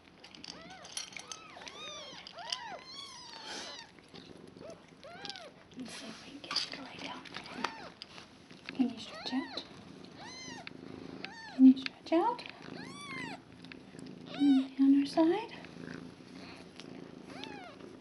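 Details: Newborn kittens a day old, litter of five with mother cat Nala in a foster home, 26 February 2015; rapid high arched mews in bursts, several callers overlapping, with quiet human speech near the end.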